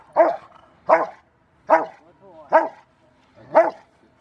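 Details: River v Schwarzerwald, a five-year-old male dog in training for his ZTP trial, recorded January 20, 2020: five sharp, deep barks spaced just under a second apart, with quiet pauses between.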